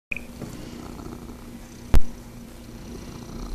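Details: Cat purring steadily indoors, a continuous low rumbling throb, interrupted once midway by a brief sharp knock.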